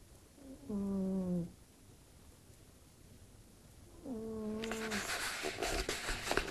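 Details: Fırfır, a pet cat sleeping indoors, snoring in a human-like way: two drawn-out tonal, nasal snores, each under a second, about three seconds apart, sliding slightly downward, followed by a burst of broadband rustling.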